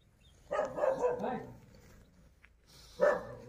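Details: Hallikar calves, a male and a female, at Boregowdannadoddi, Sathanur Hobli, Kanakapura Taluk, Ramnagar; one drawn-out bawling call with falling pitch, lasting about a second, then a second short call begins.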